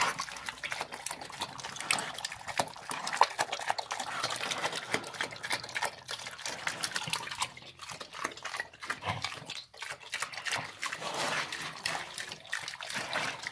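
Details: Slop being devoured by a pig, heard as continuous sloppy slurps and mouth smacks, bursts of wet splashing and chewing clicks, fading briefly around the middle before picking up again.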